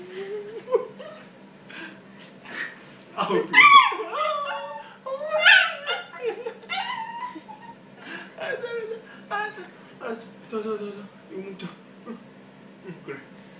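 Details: A 3-month-old Pembroke Welsh Corgi puppy that likes jumping and biting gives high, bending whines and short yips, with a person talking nearby.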